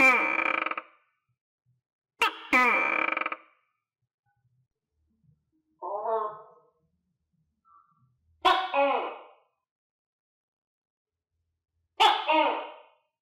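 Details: Captive tokay gecko, kept with other tokay geckos and clumsy while eating crickets, gives loud harsh barking calls with rich harmonics, often in doubled bursts, spaced irregularly by several seconds of quiet indoors.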